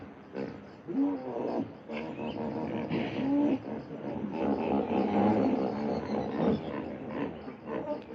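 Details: Hippopotamus calling with a sustained run of deep, buzzy, pulsing grunts. Short honking notes rise out of a steady throbbing chorus that stays strong for most of the eight seconds.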